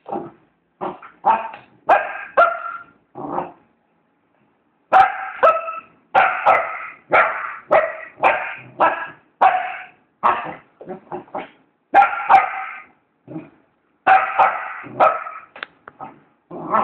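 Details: Two Border Collies barking steadily in bursts of quick, bright, ringing barks, several each second, broken by short silent pauses.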